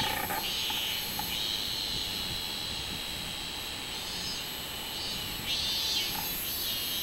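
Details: Summer cicada buzzing on 24 July 2016, identified as minminzemi: a mostly steady high shrill drone with a couple of louder swelling bursts near the end, over a constant background of insect hiss.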